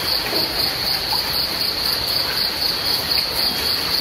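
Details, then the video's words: Crickets chirping during rain: a high, thin pulsing tone repeating about three to four times a second, steady throughout, over a constant broad hiss of falling rain. "The sound of rain and crickets"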